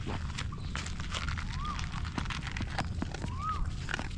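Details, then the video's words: A stray puppy cries for help while being held, giving two thin rising-then-falling whimpers about two seconds apart against constant low background rumble. "Stray Puppy Cries in My Arms for Help"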